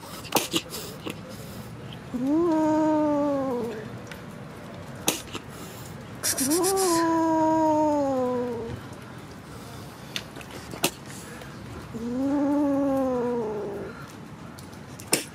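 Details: Kitten meowing: three long, drawn-out meows, each rising briefly then sliding slowly down in pitch, spaced about four to five seconds apart, with sharp clicks and knocks in the quiet gaps between them.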